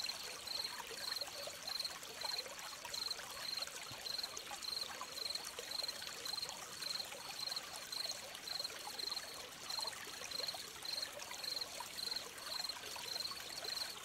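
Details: Gentle cricket chirps by a stream: a shrill, narrow-pitched pulse repeated steadily about twice per second, with a continuous babbling trickle of water underneath.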